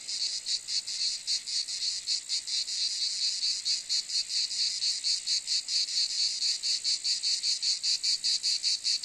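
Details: Cicadas making a shrill, high buzzing chorus broken into fast, even throbs of sound, the rasp steady in loudness throughout and no other animals or voices heard.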